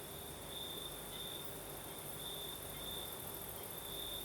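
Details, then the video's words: Crimean crickets at night keep up a ringing high trill, brightening into longer bursts every second or so, while a fainter shrill background chorus and mild night breeze fill the air. "Звук ночи. Юг. Крым. Сверчки поют. Ночной бриз."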